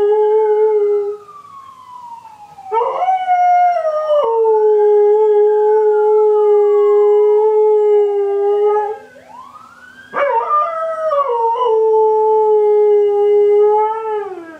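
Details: Nikki, an Alaskan Malamute, sings with a neighborhood siren: long level howls held for several seconds, two pauses, and swooping siren tones gliding beneath and around the dog's voice.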